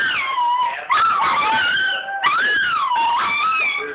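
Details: Ryleigh, a Toy Fox Terrier, sings along indoors whenever the 877 Cash Now TV commercial comes on: long drawn-out howls that glide up and down in pitch, breaking into fresh rising phrases near one and two seconds, with commercial audio faintly underneath.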